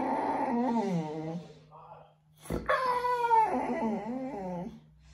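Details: Whining Boxer named Bear during his bath: a wavering moaning cry, then a brief gap and a louder, higher whine that wobbles and fades, with a person's voice nearby.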